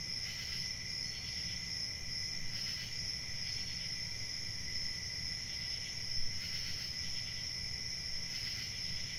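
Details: Many crickets keep up an unbroken shrill ringing chorus. Brighter pulsed bursts recur at irregular intervals of a few seconds, and a low steady hum sits beneath.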